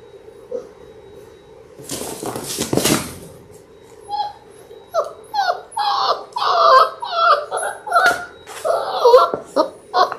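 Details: Labrador Retriever puppies, six littermates born January 18, 2022, in their sixth week on an indoor live puppy cam. After a burst of rustling, a quick run of high, tremulous whimpers and yips starts about four seconds in, over a steady low hum.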